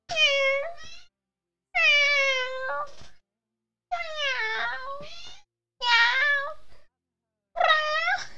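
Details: A domestic cat meows back and forth with its owner indoors: five or six rich, nasal meows in quick succession, some rising then falling, with brief pauses between them and no other sounds.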